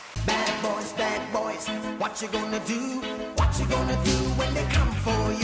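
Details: Loud upbeat reggae-style music with a steady bass beat and bright plucked chords; no animal voice can be picked out.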